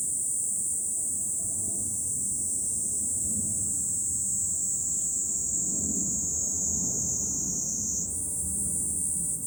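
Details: July cicada chorus on a high lookout above Fukuoka, Japan: an unbroken piercing drone, very even in pitch, jumping briefly upward near the end, with a soft low background rumble underneath.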